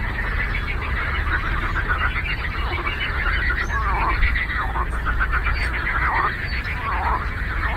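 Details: Chorus of frogs on a lake, many overlapping rapid pulsed croaks blending into a constant rattling wash, with some swooping mid-pitched calls after the fourth second and a low background hum.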